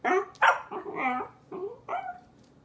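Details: Corgi during a tantrum giving a quick series of short yappy barks and grumbles, about five bursts in under three seconds, in a quiet indoor setting.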